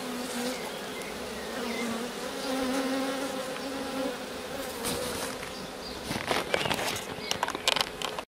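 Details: Honey bees clustered as a swarm on a rose bush where they have sat several days and begun building; thick droning buzz of many bees, swelling slightly midway, then rustling crackles and bumps toward the end.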